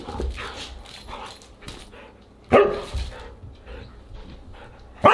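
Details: Siberian huskies at a dinner gathering on August 30, 2022: two sharp, loud barks about two and a half seconds apart, with quieter rustling and murmuring sounds between them.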